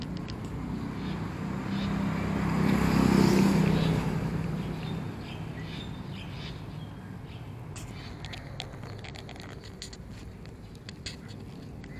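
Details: Outdoor street ambience where a passing vehicle swells and fades in a low rumble, followed by scattered faint clicks and taps, with no animal voice present.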